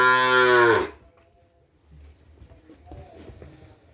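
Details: Loud moo from a Madura cattle kerapan racing bull from Sapudi Island, strong and richly harmonic, ending with a downward slide after under a second, then near silence with faint low rustling and distant sounds.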